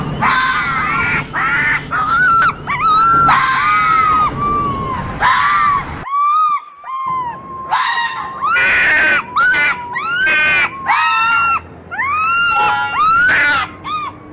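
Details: Several foxes calling to one another in mating season: dense overlapping high screaming whines, wavering and arched in pitch, in loud bursts with one brief silent break.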